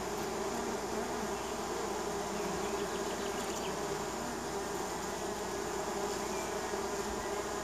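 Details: Neighbours' honey bees landing at the hive in spring: a dense, steady buzzing drone of many bees with low humming tones, continuous and unbroken throughout.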